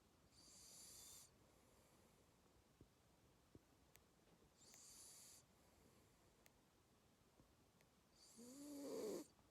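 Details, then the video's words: Two-month-old Labrador Retriever puppy asleep, snoring softly: three hissing breath bursts roughly four seconds apart, the last ending in a short squeaky, whimper-like tone, in an otherwise quiet room. "Two Months Cute Puppy Snoring"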